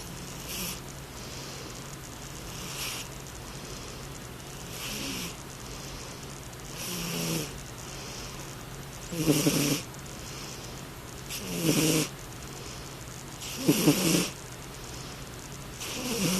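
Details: Midnight, a rescue cat, snoring while asleep: a regular series of breathy snores, one roughly every two to two and a half seconds, building from soft hisses to louder rattling snorts in the second half, over a steady low hum.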